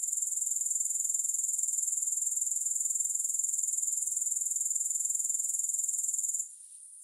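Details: Grasshoppers with no music: a steady, shrill, high-pitched pulsing trill, about three pulses per second, runs unbroken until it suddenly fades to a faint hiss near the end.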